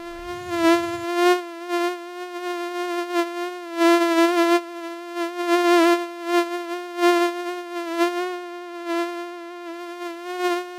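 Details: A mosquito whines steadily while flying, a thin, insistent hum rich in overtones that pulses louder and quieter. A short low rumble sounds at the very start, then only the buzzing continues.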